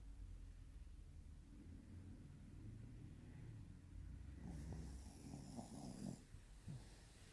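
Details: Snoring Shih Tzu, Ojikō-chan: low, steady breathing rumble that swells into a rattling, snorting snore of roughly one and a half seconds, followed by a short snort.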